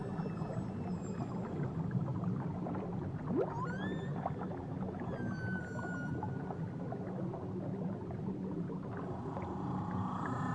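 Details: Whale song recorded near Tahiti: a sharp upward-sweeping cry followed by a thin, level high whistle, set against dense crackling underwater noise and a low steady drone.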